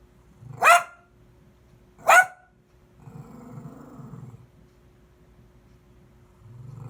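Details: Puppy playing on a lush green meadow gives two sharp, loud barks about a second and a half apart, followed by a low, rumbling growl-like sound and quiet background.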